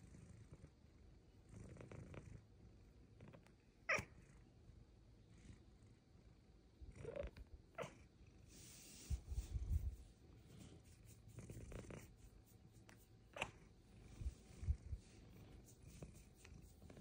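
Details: Luxe, a female Bengal cat, purring contentedly while getting belly rubs and head scratches indoors; a soft, low continuous rumble with scattered handling rustles and brief clicks, and a single softly spoken word.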